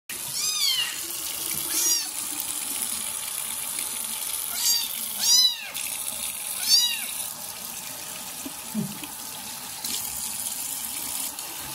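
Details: Kitten after its first bath, being cared for by a pregnant foster mother cat; loud, high arched meows repeated roughly every one to two seconds, with a steady background hiss.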